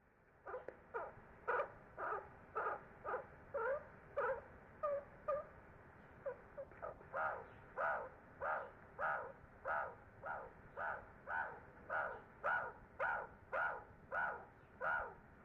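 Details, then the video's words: Meerkat pups exploring beyond the burrow for the very first time keep up loud, scratchy squeaking calls, a rapid regular series nearly two per second, with a brief quieter pause midway. "BABY MEERKAT SOUNDS"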